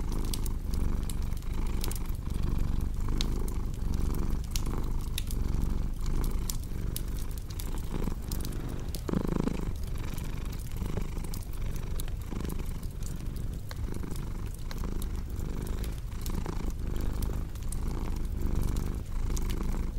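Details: Domestic cat purring steadily in a low rumble that swells and fades in short breathing cycles, mixed with the snapping crackle of a cozy fireplace, offered as relaxing sleep sound.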